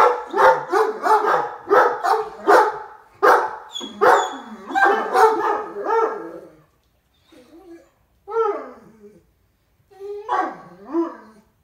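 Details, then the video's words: Two happy Great Danes greet their owner arriving home with a fast run of deep, booming barks, about one every second, then a few scattered, softer woofs and whines after a quiet gap. "Happy Great Danes Bark a Greeting To Dad"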